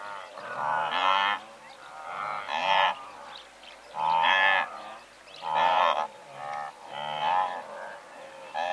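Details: Blue wildebeest, a herd of several hundred heard medium close-up, giving rhythmic reedy honking calls that pulse about every second and a half, overlapping grunts from other animals filling the gaps.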